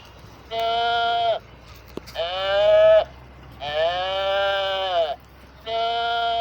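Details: Four sustained, clear bleats from sheep, each lasting about a second, tonal and slightly nasal with a falling end, separated by short pauses; a faint low hum sits beneath, and the bleating serves to find other flock members.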